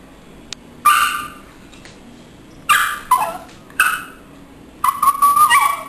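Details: A Schipperke gives short, harsh, high-pitched snarls and yips in quick bursts while play-fighting with a cat, more play than real fighting.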